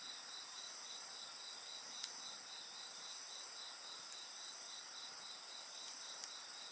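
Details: Night insect chorus by a campfire, a rapid high-pitched pulsed chirping running without pause over a dense shrill background hum, broken by faint pops of burning wood.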